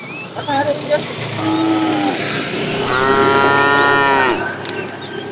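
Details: Fat cow from a herded tame herd in the afternoon, lowing to call the female: a softer, shorter moo followed by a louder, drawn-out, even moo of about one and a half seconds, birds twittering behind.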